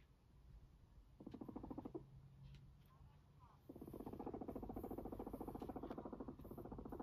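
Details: Fluffy pet guinea pig Max, a sheltie or silkie type, utters a short buzzy pulsed rumble, pauses, then a longer sustained vibrating purr of rapid low pulses continuing to the end.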